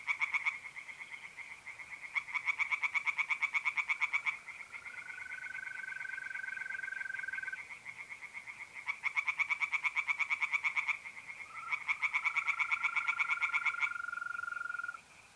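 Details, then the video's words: At a north-east Italian pond on an April night, tree frogs sing in repeated two-second bursts of fast, rattling pulsed croaks, alternating with the smooth continuous trill of mole crickets and a sustained lower tone. "relaxing singing tree frogs in pond and trilling mole crickets by night"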